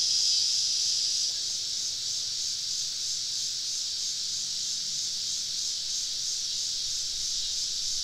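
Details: Deep in southern woods on a summer evening, cicadas keep up a constant high hissing buzz; a thin whistled note rides on top for the first second, then the steady chorus continues alone, slightly quieter.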